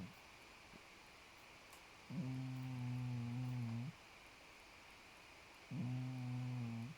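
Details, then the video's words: Podo the cat asleep and snoring: two even, low buzzing snores, each near 1.7 seconds, separated by about two seconds of near silence in a quiet room. "장포도 코고냥 Podo's snore"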